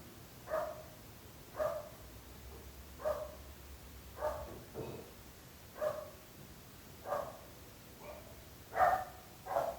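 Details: Persistent barking from dogs bothering neighbours, a regular series of about nine sharp barks roughly every 1.3 seconds, some doubled, over low background rumble.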